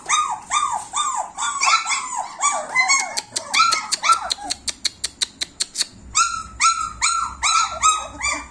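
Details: Several German Shepherd puppies, 26 days old, whine and yelp together in arched, overlapping cries. A run of sharp, regular clicking taps breaks in midway, then the chorus of puppy whimpers resumes.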